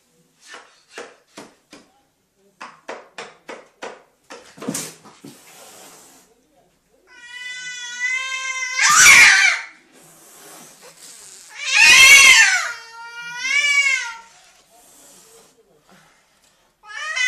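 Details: A cat defending its home lets out long, drawn, wavering wails with rising and falling pitch, in three bursts separated by pauses, after a run of sharp tapping clicks; an indoor room.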